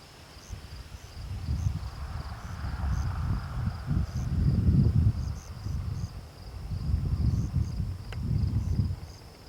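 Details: A rutting deer in a park gives deep, rough groans in low bursts every second or two.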